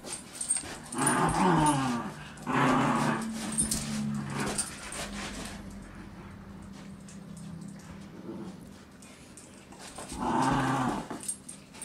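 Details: Ella the Basenji and Maddie, a mixed-breed dog, playing tug of war with a child; rumbling, harmonic growls come in bursts of one to two seconds, with a long low drawn-out growl between them and quiet gaps.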